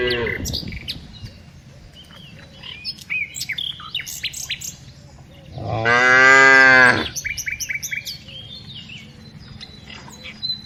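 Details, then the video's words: Tame cows herded every afternoon; one loud, rich, harmonic moo lasting over a second stands out midway, while small birds chirp and tweet repeatedly in the background throughout. "Herding Tame Cows Every Afternoon - Cows, Funny Cows, Cows Sounds"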